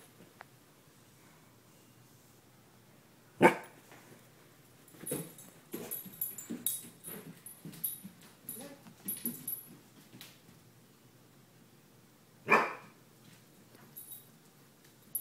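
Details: A 15-month-old Weimaraner indoors, agitated by a crow landing on the skylight: a sharp loud bark near 3.5 seconds, a run of softer huffs and grumbles between 5 and 10 seconds, then another sharp bark near 12.5 seconds.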